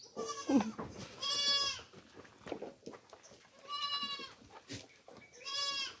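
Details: Farm goats being fed tubuan, or coconut pulp, bleat loudly in drawn-out, wavering cries, four in six seconds with short pauses between them. Faint background sounds are also present.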